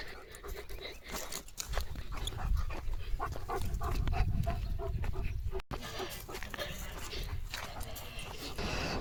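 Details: A German Shepherd barks in short, harsh bursts, non-stop, in stormy evening weather with strong wind and light rain. Heavy wind rumble and a person talking are heard.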